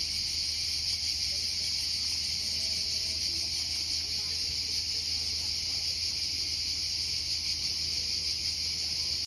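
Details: Italian cicadas sing a steady, shrill, unbroken buzz that fills the whole recording.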